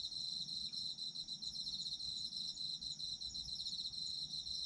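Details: Autumn insects calling for sleep-time listening: a dense, continuous high chirping chorus with fast pulsed trills layered at several pitches, steady throughout with no other sounds.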